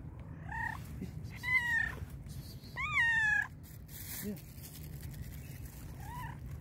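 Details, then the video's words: Very hungry black and white cat meowing loudly, a series of four or five meows: two long, strong, falling cries in the middle flanked by shorter, quieter ones, with a low steady hum underneath. "black and white cat was meowing loudly because it was very hungry."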